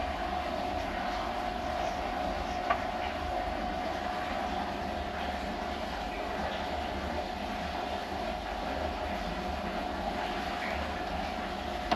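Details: Constant rumbling train or rail noise with a steady mid-pitched hum throughout and a single sharp click near the start.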